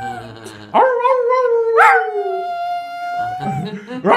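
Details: Jack Russell Terrier: a drawn-out, wavering tonal howl that slides up, holds and slowly falls, followed by a second shorter rising howl. A brief voice is heard at the start.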